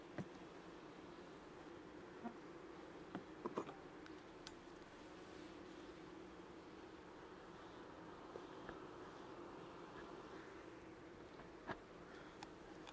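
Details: Colony of honey bees humming as frames are checked in a hive inspection, second lactic acid (15%) spray, July 2019; an even, continuous drone with scattered faint knocks and clicks from handling.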